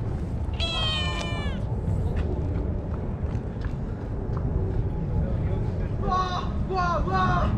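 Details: Stray calico cat giving drawn-out, high harmonic meows near the start and again toward the end, its calls drawing a black cat over; steady low background rumble throughout.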